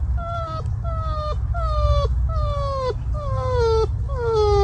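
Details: Porcupine mating call, compared to a hungry dog: a series of six whining, wavering cries, each sliding downward at the end and repeated roughly every second, over a low background rumble.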